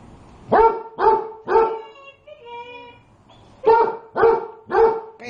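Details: A dog barks at its hot food because it cannot cool it, giving steady series of sharp, tonal barks, three then a pause then four more, with a brief whine between and a person speaking Spanish.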